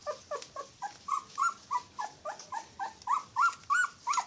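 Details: Yorkshire Terrier puppy crying in a rapid series of short whines, about three each second. Each note arches up and then drops, and the later cries grow a little louder and more strained.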